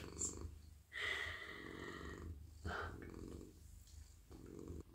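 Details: Petted male house cat lying in a lap in the evening, purring with a low continuous rumble while hands sweep over his fur in loud whooshing strokes.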